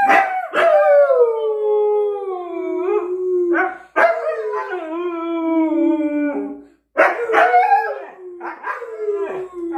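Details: Pet Siberian Husky Miko making noise over his chicken: three long, loud, mournful howls, each starting high with a sharp onset and sliding steadily lower over two to three seconds, followed by shorter wavering yowls.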